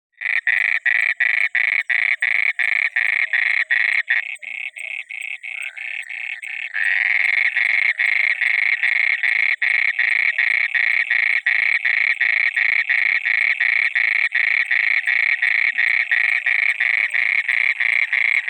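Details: Frog croaking at night near water, a rapid train of harsh, buzzy pulses about three per second, loud and steady, with a brief softer, lower stretch near the start before the rhythm resumes.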